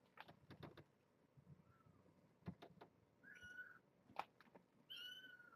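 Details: Kittens visited with their mother Janine, a brown tabby rescued from the Tulalip, Washington area, at Purrfect Pals one afternoon; thin high mews rise and fall among soft thumps and rustling of play.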